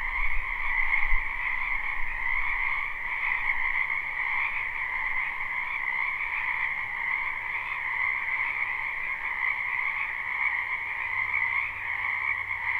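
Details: Many frogs croaking in a spring wetland, recorded live: a dense, unbroken chorus of trilling croaks in two steady bands, one mid-pitched and one higher, with a faint low rumble underneath.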